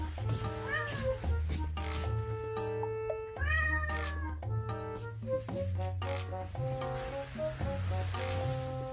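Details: Hungry rescued red tabby cat indoors, waiting for food after its owner comes home; several drawn-out, arching harmonic meows rise and fall, mixed with steady background music and a man's talk and laughter.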